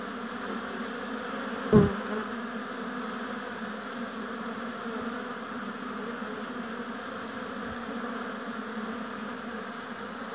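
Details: Colony buzzing at a beehive in an apiary: a continuous low drone of many honey bees, broken near the start by one bee zipping close past with a brief, loud buzz. A fainter pass follows later.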